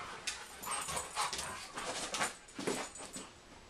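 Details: Play fight between a German Shepherd and a Siberian Husky: a rapid string of short whimpering yips and growls, fairly faint, with scuffling.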